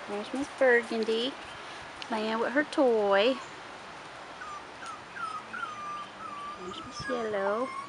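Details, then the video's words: Rottweiler puppies, 4.5 weeks old, outside for the first time: several short arched, harmonic-rich yelps in small clusters, then a run of thin, level whines in the middle and one more yelping burst near the end. "Rottweiler Puppies 4.5 Weeks"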